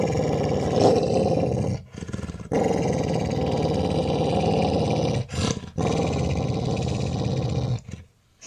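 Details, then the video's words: Labrador Retriever lying down and growling while guarding its ball in play, pretending to be aggressive though friendly; a continuous low rumbling growl with brief pauses near two and five seconds. "Don't Touch My Ball | Funny Angry Dog | Cute Labrador"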